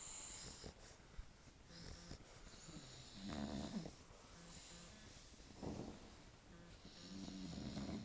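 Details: Sleeping dogs snoring loudly, a cute pet compilation; rough, irregular breathy snores at low pitch, recurring through the clip with louder bursts near the third, sixth and eighth seconds, faint hiss above.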